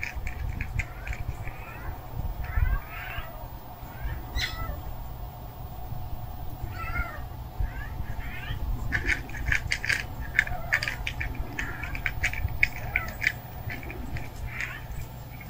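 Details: Hungry stray cat meowing persistently, with short insistent mews repeated in quick runs, some clustered in dense bursts near the middle and end, set against a constant low hum and light outdoor noise.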